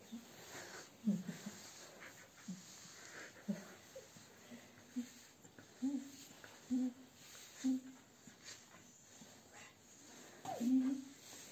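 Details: Indoors at a Sofia grooming salon, a Husky under the brush gives a run of short, low, tonal moans and whines, roughly one every second, some rising slightly, with breathy wheezes and brushing sounds between them.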